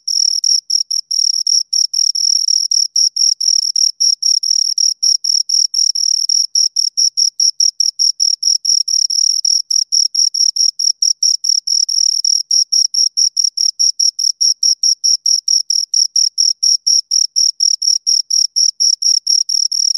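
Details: Continuous high-pitched chirping of two crickets heard close to the ear, a fast, rhythmic series of short pulses running unbroken for twenty seconds in silence.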